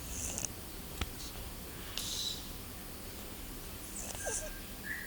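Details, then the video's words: A pet cat snoring while asleep indoors: soft, airy hissing breaths recur about every two seconds over a steady low background hum, with a faint brief tonal squeak near the end. "My Snoring Cat"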